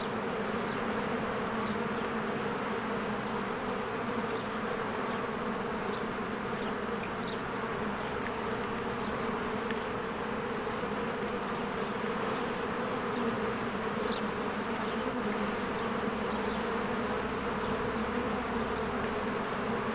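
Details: Honeybee swarm at its hive in spring, flying in and out as trees green and flowers open, recorded with a Canon EOS R. A steady, layered droning hum runs throughout, with occasional faint, brief high chirps above it.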